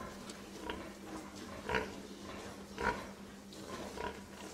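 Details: Soft, spaced pig grunts, three clearer ones about a second apart among fainter snuffling, over a faint steady hum.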